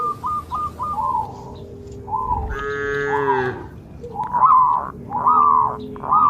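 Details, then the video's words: Dozens of cattle jump over a path border between green rice fields in the countryside, moving with the herd. Drawn-out, harmonic lowing calls come in short bursts, with one long, rich moo in the middle and several quicker calls near the end. "Suara Sapi Lucu,sapi moo"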